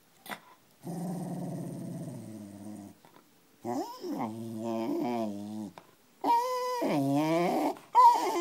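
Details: West Highland White Terrier, described as a menacing dog, recorded indoors on an iPhone 4: three long rumbling growls, each two to three seconds, the later ones rising into whiny, wavering snarls with gaps of silence between.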